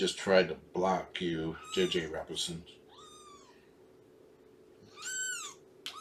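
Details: Shelby, a female cat about two years old rescued through Purrfect Pals, meowing during a morning foster visit: two drawn-out, arching meows after a stretch of human speech, over a steady indoor hum.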